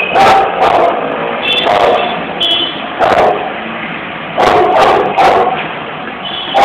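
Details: A balcony dog barks repeatedly, about seven short, rough barks, some in quick pairs and triplets, against a continuous background hiss.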